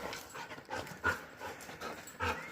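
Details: Female Labrador Retriever at a canal, playing fetch with a stick: soft, breathy panting in quick rhythmic bursts, several stronger puffs standing out against a quiet outdoor background.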